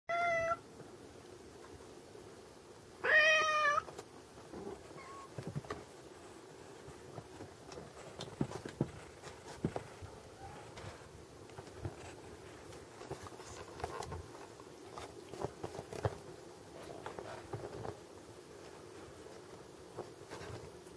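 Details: Gizmo, a Munchkin cat, gives two short clear meows near the start, the second louder and more strained, followed by a long stretch of quiet indoor rustling and faint clicks.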